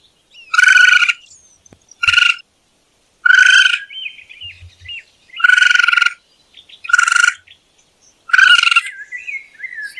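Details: Raccoon calling: six harsh, buzzy, strongly harmonic bursts about half a second each, spaced one to two seconds apart, with faint thin twittering notes between them in otherwise quiet surroundings.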